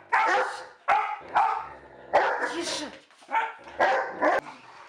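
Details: A dog barking loudly in quick, uneven bursts, about seven sharp, harsh barks in five seconds with short gaps between them.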